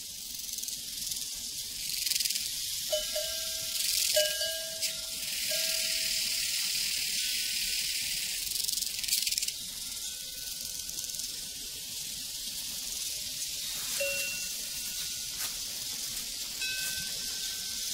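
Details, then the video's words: Crickets chirping on a prairie: a dense, high, shimmering pulsed chorus runs throughout, with clanging cowbells ringing intermittently in a lower register. "Sounds from a Prairie Crickets and Cowbells"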